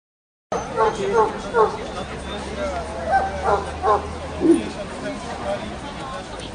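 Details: Dogo Canario at the National Dog Show (CAC) in Toruń, Poland, 19 August 2007; a run of short, sharp barks about every half second, then a lower single bark, over a steady hum and indoor crowd chatter.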